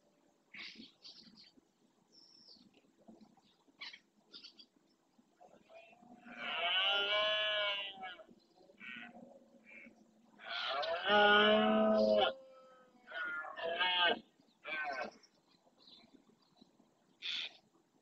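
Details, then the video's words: Red deer roaring during the rut in the Doñana National Park marshland, Spain, with males claiming territory: long, loud harmonic roars around seven and eleven seconds, separated by shorter, broken calls over a quiet background. "BERREA EN ESTADO PURO"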